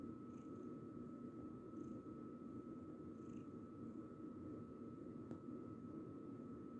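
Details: Female tortoiseshell calico cat purring while kneading; a soft, continuous low rumble with a faint steady high-pitched hum behind it.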